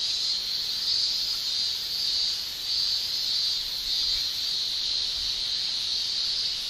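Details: Male cicadas shrilling in a Japanese summer, sound made with the tymbal: a dense, steady high-pitched buzz that swells and fades gently about once a second, many insects blending into one continuous drone.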